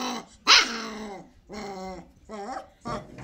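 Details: A Kanni puppy at play in Coimbatore gives four harmonic barks and yelps with a growly edge: one loud bark, then three shorter ones over about three seconds.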